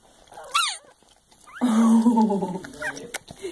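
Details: Newborn Soft Coated Wheaten Terrier and Shiba Inu cross puppy giving its loud first cry just after birth indoors; a short squeak, then a sustained wavering wail of about a second, with a person speaking softly.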